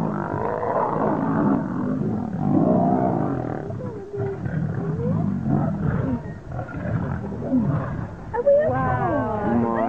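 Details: Fighting lions give harsh, deep snarls and growling roars that surge and fade in bursts. A human voice with wavering tones breaks in near the end.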